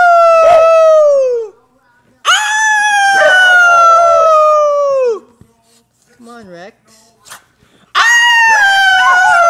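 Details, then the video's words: Rex the dog howls in duet with his owner during a howling lesson. Drawn-out, slightly falling wails, then a quiet gap holding small wavering whimpers, then another long howl. "rex howl"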